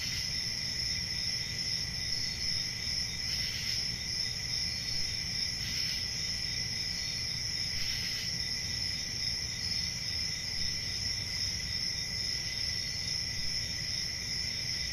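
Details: Summer night cricket chorus in a forest: constant shrill trilling in two high layers, a few short faint swishes breaking through, and a low steady rumble underneath.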